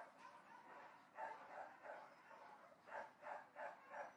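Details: Distant barking dogs give a steady, rapid series of muffled barks, roughly three per second, growing louder and more distinct in the final second.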